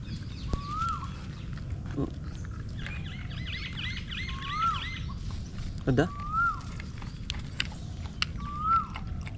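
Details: Stray puppy held in a person's arms, crying for help: high, thin whimpers that rise and then drop, four times about two seconds apart, with a voice speaking and steady outdoor background hiss.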